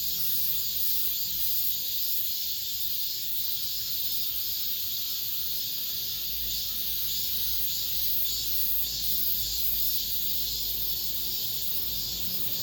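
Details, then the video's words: Cicadas heard in an apartment complex at the end of summer: unbroken, hissing high buzz with soft rhythmic pulsing near twice per second over a low hum of distant traffic. "올 여름 마지막 매미소리"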